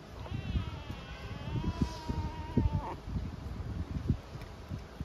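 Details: Hungry homeless kitten on the streets of Istanbul, meowing with a timid voice to ask for food and affection; one long thin meow lasting over two seconds, starting higher, sliding down and then holding level, over low rustling and street noise.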